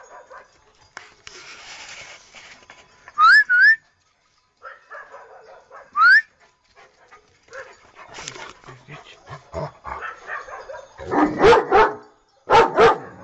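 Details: Domestic dogs barking in a mixed compilation: high rising whines or squeals early on, scattered snuffly and yelping sounds, then a cluster of loud, harsh barks near the end, with faint speech in the background.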